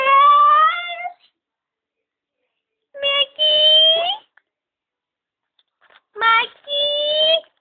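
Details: Miku, a Jack Russell Terrier crossed with a Border Collie, gives three drawn-out, steady howls, each about a second long with a rough onset, separated by pauses of nearly two seconds.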